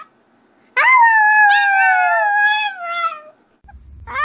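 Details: A puppy gives one long, sustained howl of about two and a half seconds, starting with a sharp rise then gently falling with wavering overtones, followed by a brief low noise.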